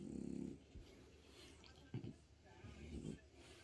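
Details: Bob, a French Bulldog, grunts at his owner while they watch TV together in a home office. One opening buzzy, pulsed grunt is followed by two shorter snorty bursts and a soft human voice in the background.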